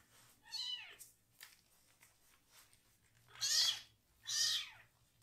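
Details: Rescued foster kitten, one of three siblings still needing toilet help, crying while its bottom is washed indoors; three loud, arching, harmonic meows, one early and two close together near the end, over quiet room background.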